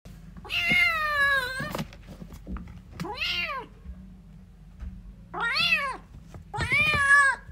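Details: Kittens fighting and playing indoors: four loud, drawn-out meows with rich harmonics, each rising then falling, spaced about two seconds apart, with soft thumps and a low background hum.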